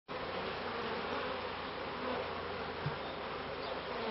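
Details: Honey bees at the first hives in a bee yard in 1994: a dense, steady, droning buzz of many insects fills the whole clip at an even loudness, with no other clear sounds.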